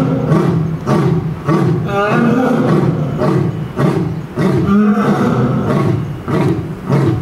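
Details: Male lion at Tennoji Zoo roaring, with a female answering; deep, grunting roar bursts repeated in quick succession, strong low rumbling tones with rising harmonic sweeps, continuous and loud throughout.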